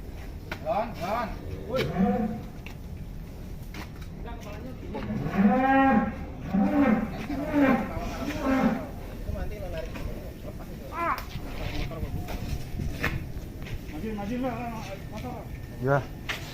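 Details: Giant fat cow mooing in a run of low, rising-falling lows clustered mid-recording, with scattered quieter calls, clatter and background hum.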